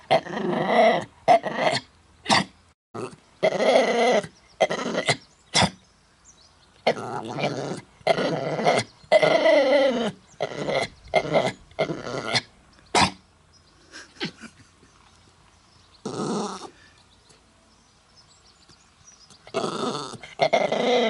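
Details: Mutley the dog tries to sing despite a bad cough, recorded 27 August 2016 in Bredagh, Carrigallen, Co. Leitrim; rapid sequence of harsh coughing bursts, then a quieter gap and a few more raspy coughs.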